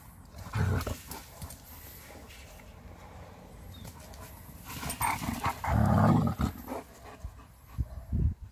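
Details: Major, a German Shepherd, meets another friendly German Shepherd on a walk near a road; bursts of low, rough panting and throaty grumbles come in irregular clusters, with handling noises between.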